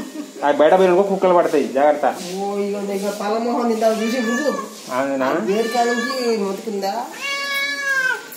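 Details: Friendly cat, an unexpected guest, giving a long series of loud, drawn-out, wavering meows, some rising and falling, with a final higher-pitched meow; indoors.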